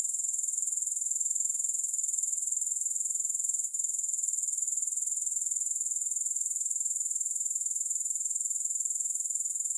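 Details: Grasshopper stridulation with no music: a constant shrill, high-pitched insect buzz made of rapid, regular pulses, with only a tiny click-like break midway.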